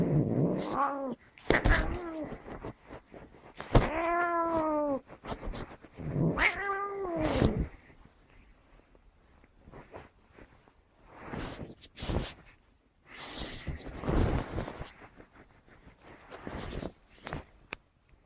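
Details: Angry cat uttering a run of loud arching meows, each rising then falling, four or five in quick succession over the first seven seconds, followed by scattered thumps, clicks and rustling indoors.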